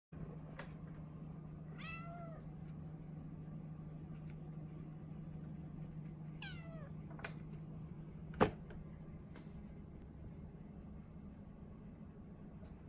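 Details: Norwegian Forest Cat kitten named Ren, a four-month-old female, waiting in a cage and meowing as if pleading to be let out; two high, harmonic meows that bend downward, a few seconds apart, over a steady low hum and a sharp knock.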